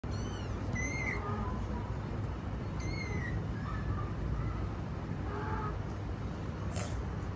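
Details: Mother cat caring for her kittens; thin, high mews come in short bursts about every two seconds, faint over a steady low rumbling background noise.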